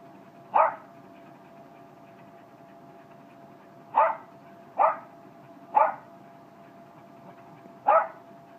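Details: Jack Russell terrier, male, letting out five crisp, abrupt barks: one, a silence of over three seconds, then a quick cluster of three, and a last bark, with a quiet humming background.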